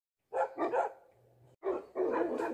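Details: Tibetan Mastiff, called a Bhote dog, with a resounding voice: two deep booming barks, a quiet pause with a faint low hum, then two more heavy barks.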